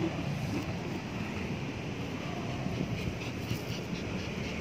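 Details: Constant roaring wind or vehicle rumble fills the recording, with no animal sound.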